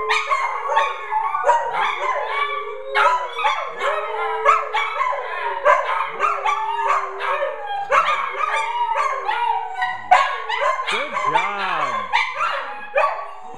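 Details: Multiple family dogs, never trained, sing along at home on a Friday night: a busy chorus of short yipping howls and bending wails in rapid succession, with brief swooping cries near the end.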